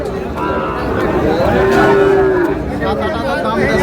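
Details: Sahiwal bull calf at a cattle market in Chattogram, Bangladesh, on 18 May: a low, steady moo that rises briefly and then holds level for about a second, surrounded by market chatter and bargaining voices.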